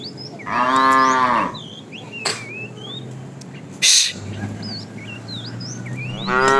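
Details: Calves in a herd of cows driven out in the morning, wandering in search of food: one loud harmonic moo of about a second, bending down at its end, with birds chirping throughout and a brief clatter midway.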